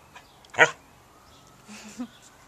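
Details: Welsh Springer Spaniel named Jake, a nearly four-year-old male, playing with toys in a garden: one sharp, short bark, then after a pause a low, soft whimpering whine.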